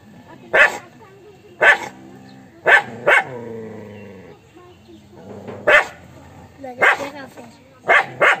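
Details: Angry dog barking: loud, sharp single barks roughly once a second, with some doubled, separated by lower drawn-out tonal growling or whining between them.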